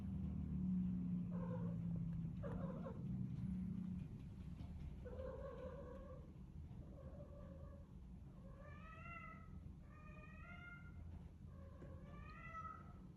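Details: Morning calls of a house cat: a run of about nine brief meows, the first ones rough and buzzy, the later ones higher and arched, spaced roughly a second apart against a constant low hum.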